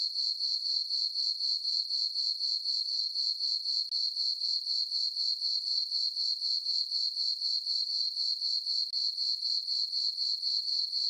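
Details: Crickets chirping on a summer night in a farm meadow under a full moon: a steady, high, ringing trill pulsing about four times per second, with no other sounds.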